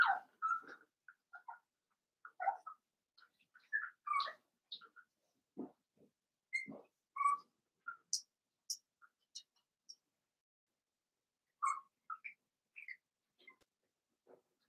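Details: Seven-week-old blenheim Cavalier King Charles Spaniel puppies, a litter of five in an indoor home puppy pen, give short squeaky whines and yips in quick bursts, densest over the first five seconds, then scattered calls amid soft rustling and clicks.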